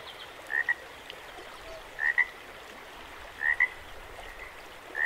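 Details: Frogs calling beside running water at Jacobs Creek: short paired chirping notes, the second slightly higher, repeated about every one and a half seconds, over a steady rushing hiss of the flowing creek.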